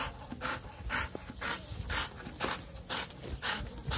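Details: American Bully dog in Rewari panting steadily, broadband breathy bursts about twice per second with short gaps between each breath, low background rumble and faint handling noise.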